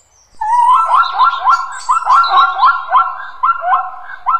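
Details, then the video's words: A zebra gives a rapid run of squeaky, yelping barks, each note rising then dropping, about four a second, with no other sounds. "Zebra. Video and sound."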